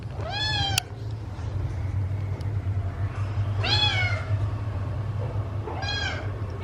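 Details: Rescued kittens meowing while eating; three loud, harmonic-rich meows, each rising then falling, spaced about two seconds apart over a steady low engine-like hum.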